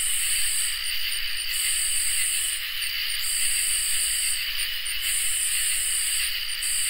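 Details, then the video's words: Crickets and katydids in a summer night chorus. Continuous shrill trilling in several stacked high bands, with the highest, raspier band swelling in bursts roughly every one and a half to two seconds. No other sounds. "Crickets and Katydids in Summer | Ambient Night Chorus"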